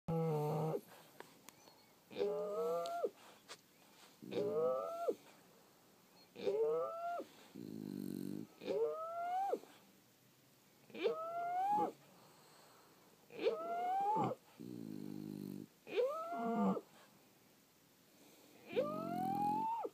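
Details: Sleeping French Bulldogs snoring: high whistled wheezes that rise and then drop alternate with low, buzzy, rattling snores. The breaths come in a steady rhythm about every two to three seconds in a quiet room.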